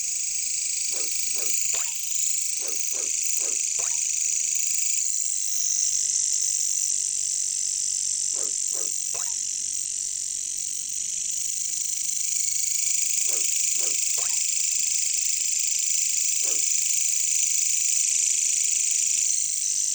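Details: In a jungle, katydids (bush crickets) keep up a steady, high, hissing buzz, with clusters of short, low knocking notes breaking through.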